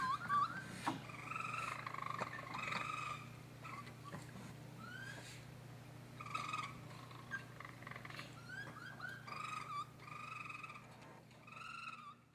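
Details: Raccoon babies repeatedly giving quavering, whistly churrs and squeaky rising chirps in clustered bouts, roughly three or four per second at their busiest, backed by a faint constant low hum.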